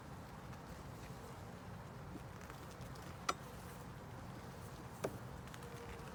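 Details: Honey bee colony buzzing steadily during an inspection of a 10-frame deep box with a honey super on an overcast day. There is a low, even hum, two sharp clicks, and handling noise from the hive frames.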